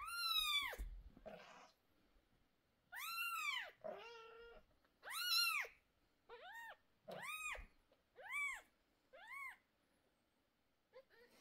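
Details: Mother cat with 11-day-old kittens, nervous and screaming while two kittens with sore eyes receive eye medicine indoors; loud, drawn-out arched meows, about eight calls with short pauses, rising then falling, clean harmonic tone.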